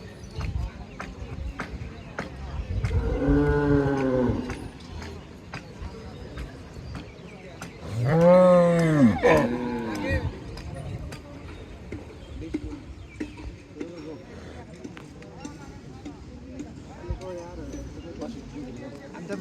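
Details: Cattle at a village cattle market in Bangladesh, where buyers and sellers haggle over prices: two long, loud, low moos with rich harmonics, the first near three seconds, the second louder around eight seconds, over crowd murmur and clatter.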